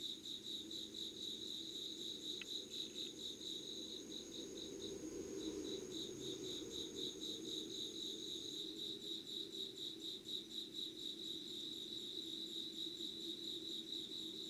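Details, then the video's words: Insects singing at dawn, 5:00 on 25 August 2019, Yugawara, Kanagawa, Japan. A high pulsed chorus beats about four times a second, a steady shrill tone stops midway, a single sharp click sounds early, and a low murmur swells briefly. "Sounds of insects with candle light.☆ろうそくの灯りと虫の声"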